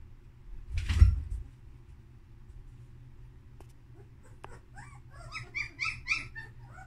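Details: Two-week-old female German Shepherd puppy: a soft bump near the start, then a quiet pause, then a run of short, high, squealing whines that rise and fall and cluster densely in the last two seconds, over a low steady hum.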